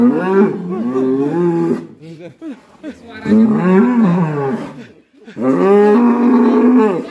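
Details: Raging black cattle tied to Alas Purwo village: three drawn-out, wavering harmonic moos, each one to two seconds long, with low human voices and handling noises between them.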